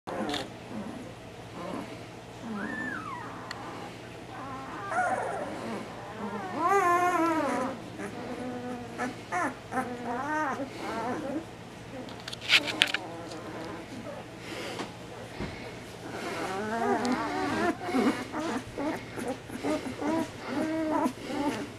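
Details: Ten-day-old Bernese Mountain Dog puppies in a basket squeak and whine together in high, wavering, overlapping cries, each with its own distinctive squeak, tired and complaining while their bedding is changed.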